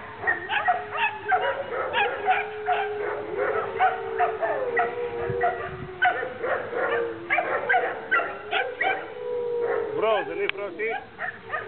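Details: Two Alaskan Malamutes, a ten-year-old and a two-and-a-half-year-old female, playing in a kennel yard in April 2009, trading rapid yips and short barks every half second or so over rising and falling whines and drawn-out woo-like moans.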